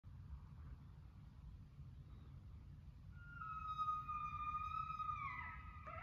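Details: Coyote calling at night: after a quiet stretch of low rumble, one long, steady tonal howl with bright overtones swells in and holds for about two seconds before breaking off.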